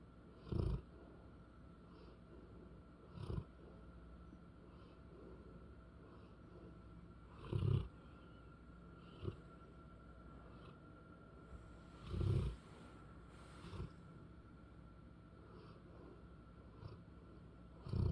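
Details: Pet English Bullmastiff female snoring at rest indoors, deep low snorts recurring every few seconds with some stronger, longer breaths, against a constant quiet background hum.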